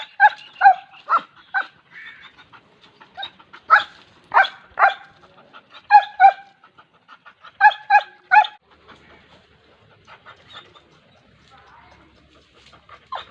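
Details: Rapid, repeated barking from a dog in uneven runs of three to five harsh barks with short gaps, fading to softer, scattered yips toward the end.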